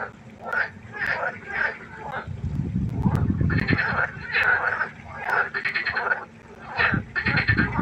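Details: Frogs croaking at night beside a pond: short, grating croaks given in quick runs of pulses, repeated steadily, with a low rumbling background swelling in the middle of the stretch.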